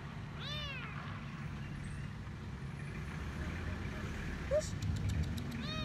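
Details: Frightened stray kitten hiding under a food truck outside a grocery store, begging for food. A bright falling meow opens and another closes the stretch, with idling engine noise and a faint squeak in between.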